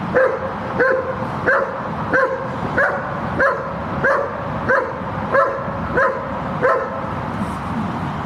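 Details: Shepherd dog being trained for guard work, barking steadily and rhythmically: about twelve forceful barks, one every two-thirds of a second, repeated without pause over a noisy background.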